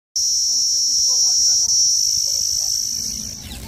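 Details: Cicada singing in greenery, a loud unbroken high-pitched buzzing drone that fades slightly near the end, with a faint human voice underneath.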